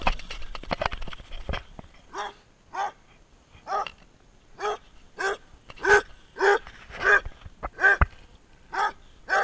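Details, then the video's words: Running Basset Hound giving a steady series of hoarse, mid-pitched barks roughly every half second, growing louder toward the middle, after an opening burst of rustling and clatter. "basset hound barking and running"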